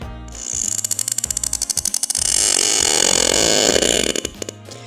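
Sperm whale clicks: a quick train of sharp, dry knocks, roughly three each second, over steady hiss.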